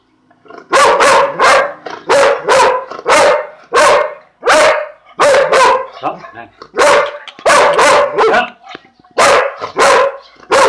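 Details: Male purebred Dalmatian having his lunch barks loudly in clustered bursts of two or three sharp, harmonic barks, groups separated by brief pauses, about a dozen barks in all.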